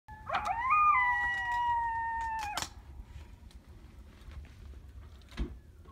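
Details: A coyote "singing" at about 2 a.m. in Heath, Texas gives a clear, steady howl that breaks off abruptly, followed by a quiet background hum.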